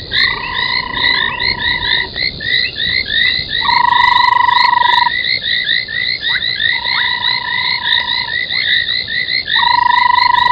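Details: Frogs at an old foam nest, Gowrie dam, Djuma Game Reserve, Sabi Sand, South Africa, recorded at night 03:40 on 25 January 2021; a fast, crowded stream of short rising croaks, about three per second, with repeated long flat tones in between.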